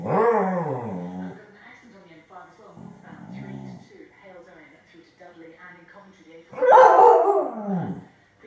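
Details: Staffordshire bull terrier reacting to a grey squirrel in a garden: drawn-out, harmonic growling and whining sounds, then one loud, abrupt bark near the end, followed by a softer trailing call.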